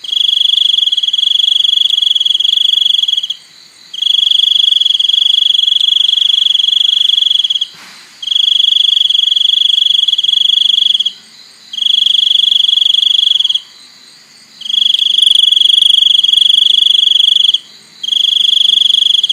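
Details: Crickets give a loud, high, ringing trill, each pulsed burst held steady for about three to four seconds and broken by short pauses, six bursts in a row, with faint low background noise.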